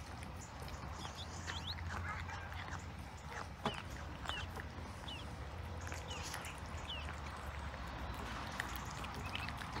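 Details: Fresh sprat being eaten by cats: steady, scattered smacking and crunching clicks, a sharper snap near the middle, and a few faint chirps under a constant low hum.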